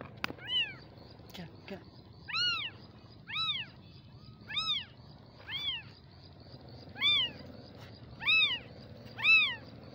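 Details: Baby kitten crying with clear high arched meows about once a second, eight cries in a row, a click near the start and a faint low hum underneath.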